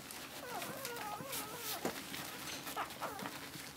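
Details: Eleven-day-old Cocker Spaniel puppies from Tindra's litter giving thin, wavering whines that rise and fall, one longer cry early and a couple of short squeaks near the end, over steady rustling and shuffling noise.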